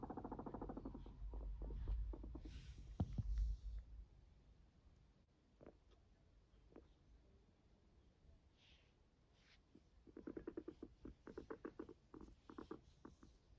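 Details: Max, a fluffy pet guinea pig indoors, gives a run of short low pulsed calls in quick succession near the end, after an opening of loud low rumbling handling noise and a few scattered clicks.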